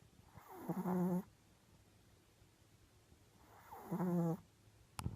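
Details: Sleeping female Japanese Chin × Maltese mix dog snoring: two low, buzzy, droning snores with a steady hum, about three seconds apart, separated by quiet breathing, with a brief click at the end.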